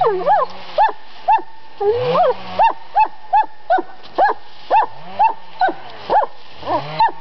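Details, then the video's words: Summer-home dog in Estonia giving a steady run of high, clipped barks roughly every half second, each a quick rise and fall, with faint low murmurs beneath. "And BARK said the doggie"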